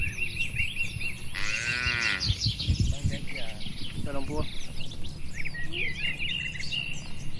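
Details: Herded cattle roaming freely across a wide oil palm plantation in green, calm surroundings: one drawn-out, harmonic moo lasting under a second, then a shorter lowing sound, over constant chirping and twittering birds and a low background hum.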